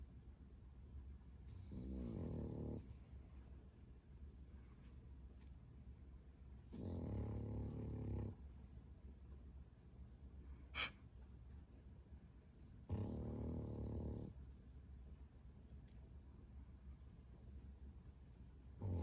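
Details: Bro, a young male French Bulldog (11 months), snores loudly and rhythmically: three deep, rasping rumbles each over a second long, recurring roughly every five to six seconds, with a brief click in the quiet gaps.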